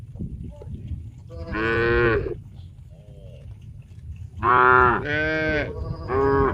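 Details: A herd of tame cows walking toward a green grass field to graze moo in long, harmonic-rich calls, several animals overlapping.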